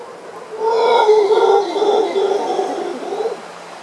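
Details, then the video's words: A howler monkey in the jungle of Isla Boca Brava, Panama, gives a deep, moaning howl that swells and wavers for about three seconds. "Jungle & howling monkey, Isla Boca Brava, Panama"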